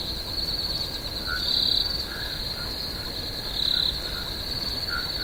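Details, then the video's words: Low-key cricket chorus in a swamp at night: a steady high whirring trill with two louder swells about two seconds apart and occasional brief lower chirps. "Cricket, Swamp Sounds at Night"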